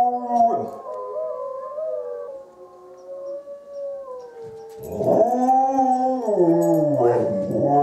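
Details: Howling dog Izzie replies to wolves: a loud falling howl, a quieter stretch of layered long notes, then strong wavering howls that dip and rise again, several voices overlapping.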